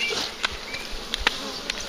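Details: A big, very active swarm of bees being collected near a farm; a dense, steady buzzing hum fills the air, broken by a few sharp clicks and knocks.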